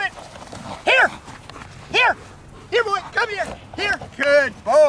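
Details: Protection-trained jet black German Shepherd Milo, worked without a sleeve, gives single deep barks about once a second, quickening toward the end, while a trainer talks and encourages him.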